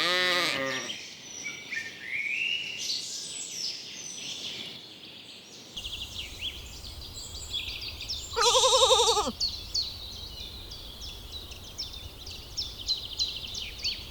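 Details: Lambs in a cool, green forest pasture give two separate bleats, one at the start and a tremulous one midway, set against steady high-pitched bird chatter and soft woodland noise.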